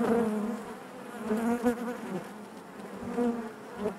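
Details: Inside a honey bee hive, a dense buzz hums continuously, with louder passes of nearby bees rising briefly in pitch at the start, middle and end, over a soft constant background drone.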